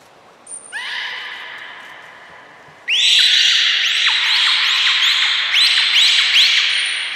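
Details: Beluga named Gray being moved to another pool at Port of Nagoya Public Aquarium, 3 February 2023: loud, high whistled calls with rising upsweeps, repeated rapidly in overlapping series with layered harmonics, after a quieter opening whistle.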